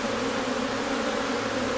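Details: Short stretch of unbroken, even honey bee hum at a Newfoundland hive in May, the colony days away from swarming and bees busily coming and going.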